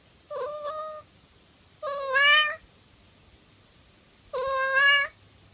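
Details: Affectionate pet cat indoors gives three meows about two seconds apart, the first short and flat, the next two longer, louder and rising into a strained, bright tone.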